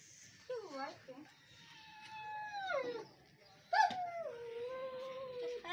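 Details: Siberian Husky puppies in Lahore, Pakistan, giving drawn-out, wavering howls that slide downward and then hold a long, steady pitch, with a sharp yelp midway; people talk quietly indoors between the calls.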